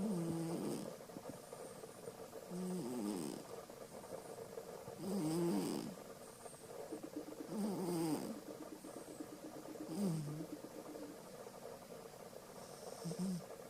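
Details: Domestic cat Alisa asleep, snoring quite loudly: about six rasping, low wavering snores in a steady rhythm, one every two to three seconds.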